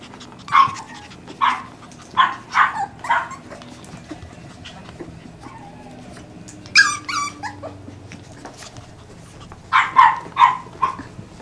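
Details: Peekapoo puppies giving sharp, high yipping barks in quick pairs and short bursts, broken by a harmonic, whining whimper partway through, over a quiet indoor background.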